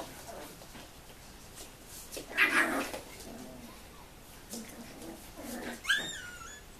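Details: Puppies at seven weeks old, from a litter born in 2015, let out a loud burst of squealing midway, then scattered soft whimpers and a sharp, high, wavering yelp toward the close.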